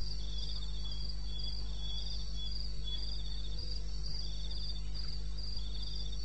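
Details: At 2:30 AM on 21 May 2016 in eastern Botswana's wild country, crickets keep up quick, high-pitched chirping, with intermittent rattling trills just beneath it; a continuous low hum runs underneath throughout.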